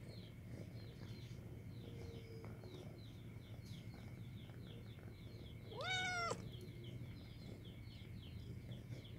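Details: White domestic cat giving a single loud, rich meow to make friends, swelling then dipping, set against constant rapid high chirping and low rumbling noise.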